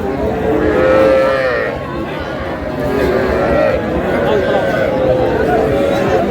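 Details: Small bull and heifer calves traded in Comilla on 12 May: a clear, level moo near one second, then shorter bellows around 3.5 and 5 seconds, with crowd murmur throughout.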